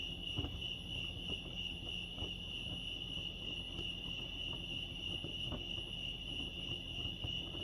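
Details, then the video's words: Chirping crickets at Lake Arrowhead, California, blend into a constant piercing trill, while scattered soft knocks and a low rumble sound in the background. "crickets chirping lake arrowhead"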